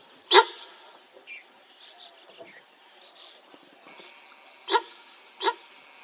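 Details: Sambar deer alarm calls during a tiger sighting in Corbett National Park: three short, loud, harsh honking barks, one early and then two close together about four seconds later, with faint bird chirps in the quiet between.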